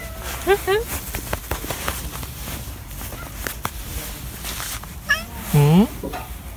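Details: Domestic cat greeting a person it likes with short meows, two quick ones early, then a loud, drawn-out, rising-then-falling meow near the end, amid human talking and soft handling noises.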